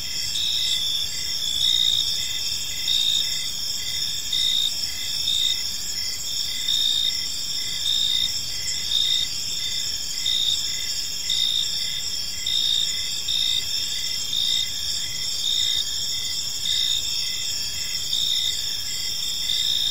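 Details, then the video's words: Evening chorus of crickets in a peaceful park: continuous high-pitched trilling layered with short rhythmic chirps, steady throughout, with faint low rumble beneath. "Cricket Sounds in a Peaceful Park"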